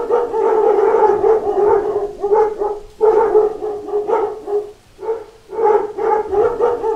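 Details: A pack of dogs barks continuously at knocking at the door, the barks overlapping into a steady, pulsing chorus with only a brief dip near five seconds.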